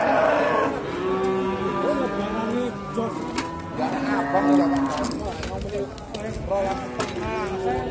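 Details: At Sukorejo animal market in Kendal, Simmental calves and cows bellow repeatedly in overlapping, sustained moos; a clear higher call rises mid-way, amid people's voices and clattering market sounds.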